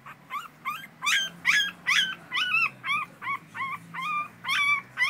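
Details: An American Schnauzer cries in a steady series of loud, nasal, arched whines, roughly two to three each second, each one swooping up and down, with faint low background hum between them.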